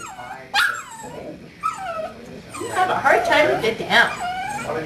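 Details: A young male dog, seven weeks old and from his mother's fourth litter, gives a few thin descending whines. Denser overlapping whimpers and yips follow, blurred by background chatter.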